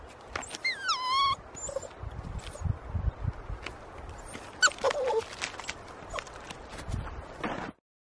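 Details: Puppy Melker, almost 11 weeks old, whimpers while fighting to reach his toy blocked by a log. He makes one long, wavering, falling whine early, then a briefer, softer whine midway. Rustling and scuffling fill the background.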